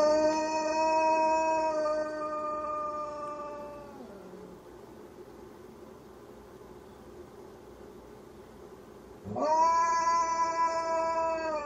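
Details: Malamute mix dog howling indoors: a long, steady, richly harmonic howl that holds level for about four seconds then slides down and fades, a quiet gap, then a fresh howl swooping upward and holding steady again.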